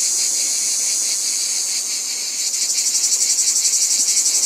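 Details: Cicadas in chorus: a dense, steady high-pitched buzzing hiss that shifts partway through into a fast pulsing throb, several beats per second.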